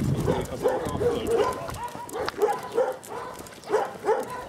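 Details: One of two female Kuvasz dogs out on a walk barks in short, irregular bursts, each bark full and mid-pitched.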